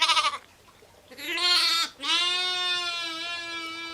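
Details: A sheep or lamb gives a short call, then a long, steady, drawn-out bleat with rich harmonics that holds level for about two seconds; ewes and lambs.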